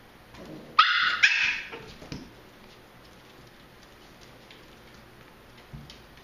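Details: Playing Pembroke Welsh Corgi puppies: two quick high yaps close together, then a softer yelp and a long quiet stretch with a faint thump near the end.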